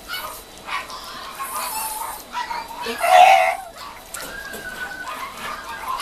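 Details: Mame Shiba puppies beginning weaning food, kennel setting in Japan: scattered thin whimpers and short yips from several pups, one louder squealing yelp midway, with soft background chatter.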